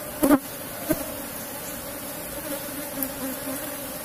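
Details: Colony of Asian honey bees kept in a wooden box hive, disturbed as honey is taken: an even droning hum carries throughout, broken by two sharp knocks in the first second.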